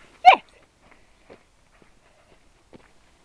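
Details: Dog named Reg giving a single short, sharp bark near the start, then near silence with a few faint soft clicks and rustles.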